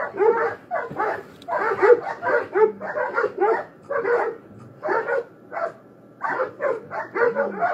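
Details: Dogs in a fight bark in clustered bursts of three to five sharp, rough barks separated by brief pauses, with a few low whining notes between the volleys.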